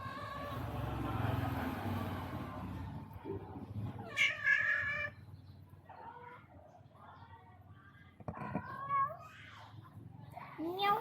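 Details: Upset visiting tomcat after a mate with the household's spayed female, weird-sounding: a loud, sharply rising-falling meow followed by several shorter, softer cries spaced a few seconds apart, with low rumbling noise before.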